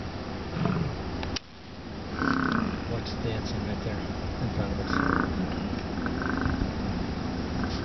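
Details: American bison at Wind Cave National Park on July 27 give deep, rumbling bellows that rise and fade over a few seconds.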